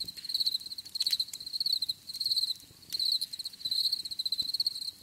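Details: Crickets heard for relaxation, a steady high-pitched trilling chirp in pulsed bursts roughly every half second, with brief pauses between runs and a faint rustling background.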